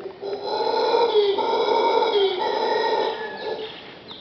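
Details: Howler monkeys calling outside a bedroom at Pachamama Caribe, Punta Uva, Costa Rica: a loud, sustained, rough roar with rich harmonics, holding steady for about three seconds before it fades, with slight downward bends in pitch.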